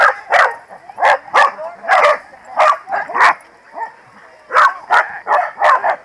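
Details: Corgis at a New Jersey Corgi Funday Sunday event in 2017 deliver clustered, punchy barks. A brief lull follows, then a fresh quick volley of four or five barks.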